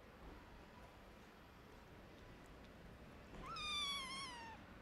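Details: Orphaned, sick kitten wanting food gives a single drawn-out meow near the end, bright and slightly wavering before sliding downward, after a stretch of quiet room hiss.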